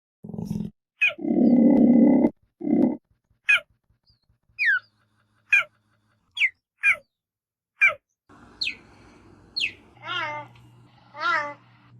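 A cheetah gives a run of sharp, high, bird-like chirps, each sliding quickly downward.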